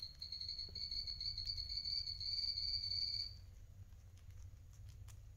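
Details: Eating-time call from a pet guinea pig, one of two adult males, Coffee and Toffee: a sustained, high, slightly wavering whistled tone for about three seconds, then fades to low background noise with light clicks.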